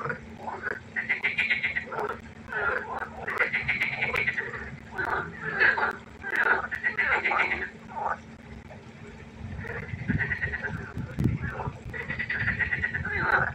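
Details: Frogs croaking at night by the pond, several callers overlapping in bursts of rapid pulsed croaks lasting a second or two, with brief quieter gaps and low rumbling noise near the end.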